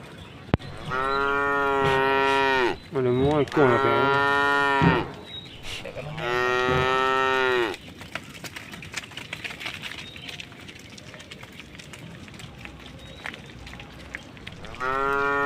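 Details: Tame cow walking through a puddle on a road beside a forest, giving long, drawn-out harmonic moos, three in quick succession then a fourth after a quiet gap, with faint background rustling between calls.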